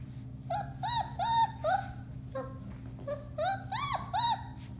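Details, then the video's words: Four-week-old Alaskan Malamute puppies of one litter howling, March 30, 2021: short arched yowls repeated several times a second, rising then dropping, a brief gap midway, over a low background hum. "Alaskan Malamutes: Bema & Cole Litter, March 30, 2021: Puppy Howling, 4-weeks old"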